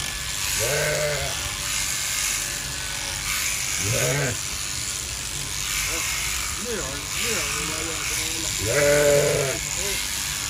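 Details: Sheep bleating during winter shearing: several wavering harmonic bleats, some short and some drawn out, over the steady loud buzz of electric clippers.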